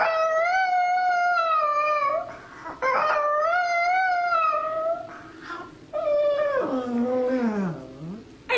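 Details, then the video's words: Chihuahua mascot dog singing indoors: long sustained howled notes with rich harmonics, two steady held phrases around two seconds each, then a wavering, falling howl ending lower and broken. "the Singing Chihuahua"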